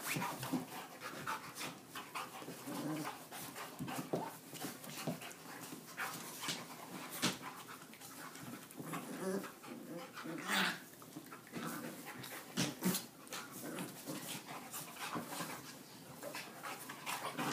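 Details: Several dogs at play breathe in quick rough pants amid scuffling, thumps and occasional faint whines, all in a small indoor space.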